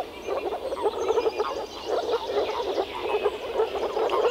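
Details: A dense spring chorus of frogs croaking at a pond or wetland in the Czech Republic, with overlapping low, rattling calls pulsing continuously.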